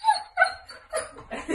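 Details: Dog giving two short, high, tonal whimpering yips in quick succession, then softer, breathier whines and rustling toward the end.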